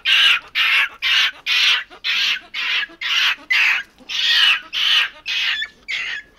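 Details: Capuchin monkey screaming over and over, about two rasping, high-pitched squawks per second, each harsh and fairly even in length, with little else around them.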